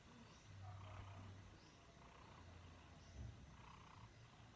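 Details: Male Himalayan cat indoors, hungry in the early morning and waking his owner: a low, steady rumbling purr in pulsing phrases of about a second, with quiet speech over it.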